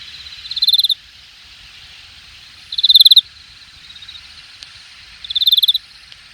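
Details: Crickets and other grass insects calling from grassy cover at Jamwon, Hangang Park, Korea, August 2021, late summer: three loud buzzy pulse-trains, evenly spaced, with a faint continuous high hiss between them.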